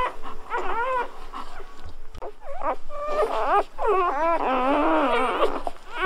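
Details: Newborn Golden Retriever puppies at birth giving high, wavering whines and squeals, overlapping cries from several pups in rapid, uneven bursts, likened to guinea pigs or human babies.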